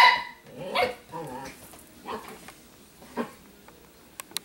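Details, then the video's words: Italian Greyhound female, unhappy wearing dog clothes, warning off another dog that wants to play; a sharp yap, then rough grumbling growls and a few fading snarls over four seconds. "Scariest Italian Greyhound!! Part snake or something..."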